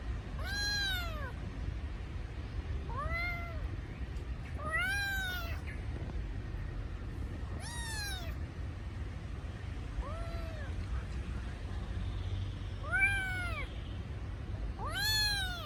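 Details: A kitten missing its mother cries repeatedly, giving short arched meows that rise then fall, about one every two seconds, some louder and some softer, over constant low-pitched background noise.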